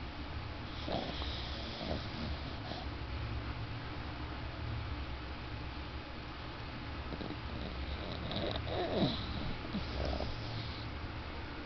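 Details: Sleeping male Yorkshire Terrier, dozing after a yawn, said to snore very loudly for his small size; low, rough breathy snores come in uneven bursts with occasional sharper snorting rasps over steady background hiss.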